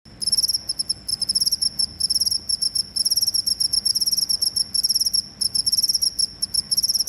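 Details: A cricket sound played to drive away rats: a loud, high, shrill chirping in rapid pulsed bursts, broken by brief pauses every second or so, with no other clear sounds.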